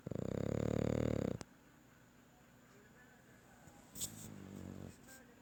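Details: Sleeping young French Bulldog puppy at night gives one loud, gravelly snore lasting just over a second, then a quiet stretch with a faint click and a soft, low rumble.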